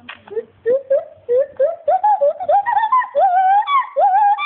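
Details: A male agile gibbon (Hylobates agilis), born around 1996 and living at a primate rescue park where he shares an enclosure with a lar gibbon, calls in clear, rising hoots that climb steadily higher in pitch.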